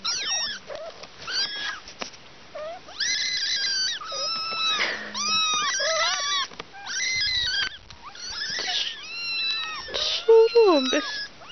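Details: Kittens at a picnic mewing almost nonstop, many high, arching mews with rising and falling pitch overlapping one another, several each second, with a brief louder, lower mew near the end.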